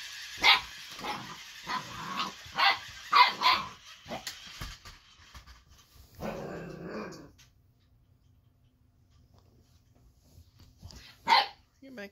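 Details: An eight-week-old Boxer puppy named Baron yaps at the Ollie robotic toy, giving a quick run of high, sharp barks early on, then a longer rough sound, then near silence before one last loud bark.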